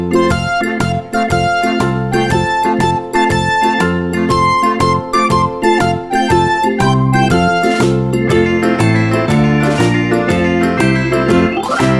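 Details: Bright electric piano music with a bouncing rhythm plays loudly throughout, and no animal sound can be picked out.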